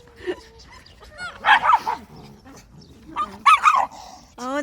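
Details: Pet dogs, a Schnauzer and a West Highland White Terrier, barking in short harmonic bursts around 1.5 and 3.5 seconds, with a higher yip at the end and people talking in Korean between barks.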